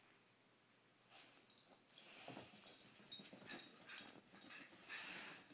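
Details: Poppie and Nellie, two pet dogs, playing together: a quiet start, then steady breathy panting and snorting huffs, with one sharper, louder snort near the end and low, brief growly tones.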